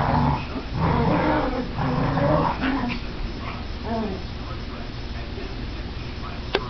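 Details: Two pet Chihuahuas, Bella and Sasha, playing tug of war; low rumbling growls with a few whining, wavering tones early on, fading to quieter rumbles and a sharp click near the end.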